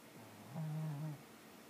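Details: A pet cat snoring: a single low, steady droning breath lasting about half a second, then quiet in a still room.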